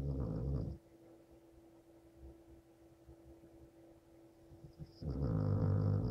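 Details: Homer, an adopted American Staffordshire Terrier, rumbles at night: a low, harmonic-rich snore-like growl for about a second, a long quiet stretch, then the rough throaty sound returns near the end.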